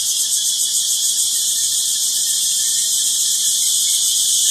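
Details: Cicadas in full chorus in rural Thai countryside on a Sunday, a loud unbroken high-pitched shrilling drone with rapid even pulsation throughout, no other sounds standing out.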